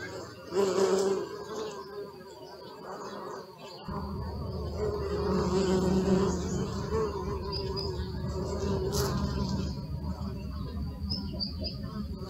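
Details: Buzzing bees captured on a Sony Alpha 6000 fitted with a 55-210mm lens and close-up filter; quiet at first, then a sudden fuller drone from about four seconds, humming steadily with slight pitch shifts and brief louder passes.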